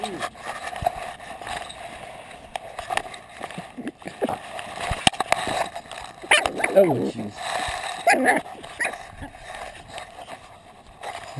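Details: Gabby, a female pug puppy, gives a few short high whining yips with sliding, wavering pitch, heard between people talking nearby and scattered clicks and handling noises.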